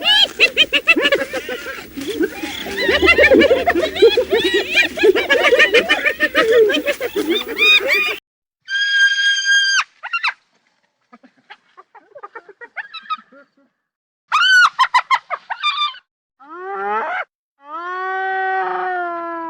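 Hyenas giggle in a rapid, chattering chorus of high, harmonic notes, followed by separate yelps and whoops.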